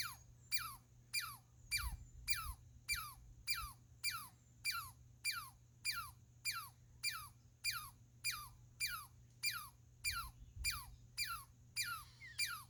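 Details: Squirrel calling: a steady series of sharp, laser-like notes that sweep quickly from high to low pitch, about 100 per minute, over a constant low hum.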